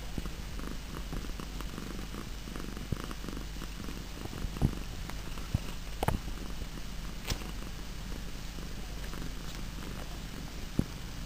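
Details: Pet cats purring at home, a steady low rumble throughout with faint scattered clicks and brief taps.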